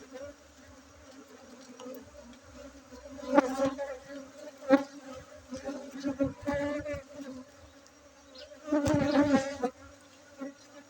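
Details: Honey bee colony humming during a honey harvest at a bee-breeding site in Bener Meriah, Aceh, Indonesia, 7 August 2023; continuous even drone, broken by sharp knocks and crackling bursts of handling around the fourth and ninth seconds.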